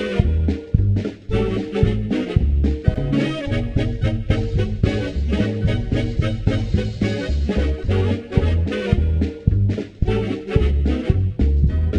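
Upbeat swing-style band music with a strong bass line and steady beat, no animal voice.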